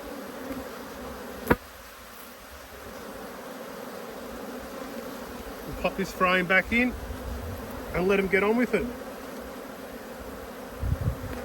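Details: Agitated honey bee colony, annoyed by a hive inspection, holding a constant droning buzz throughout, broken by two spells of a person talking over it and a sharp click early on.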